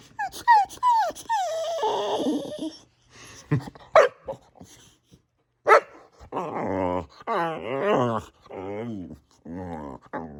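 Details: Boxer dog indoors, close-up, making a run of funny sounds: short rising whines, then a string of wavering, moaning grumbles and yodel-like groans in uneven bursts with brief pauses.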